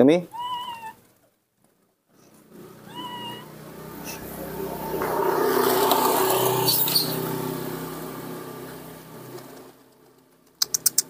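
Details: Young monkey Nomi, alone in the front-yard dirt, utters two brief rising harmonic cries a few seconds apart, then a long stretch of broad rustling noise with sharp taps at the end.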